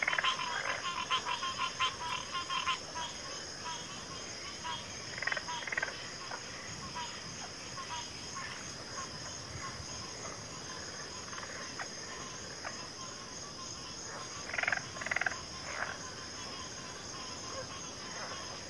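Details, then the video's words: Frog chorus of overlapping short croaks and clicks scattered irregularly through the clip, a louder cluster near fifteen seconds, over a steady high insect drone. "Frog Chorus"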